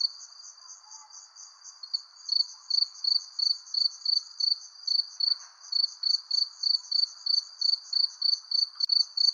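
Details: Crickets under a persimmon tree as the sun sets: faint at first, then from about two seconds a steady run of high, pulsed chirps, roughly two to three per second, over a soft, lower hum of background insects.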